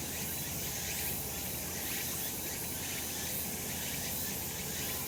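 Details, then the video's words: Summer cicada chorus in the sun on a mountain, an unbroken shrill hiss with faint rhythmic pulsing beneath it, evenly loud throughout, with a low background rumble. "セミの鳴き声 夏の山 日なた"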